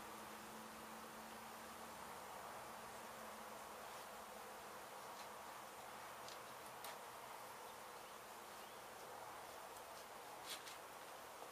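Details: Colony of honey bees in Mission, Texas, disturbed when demolition crews hit their hive in an abandoned home, buzzing while the brood comb is cut away for relocation. A continuous massed drone with a faint low tonal whine early on and scattered light ticks.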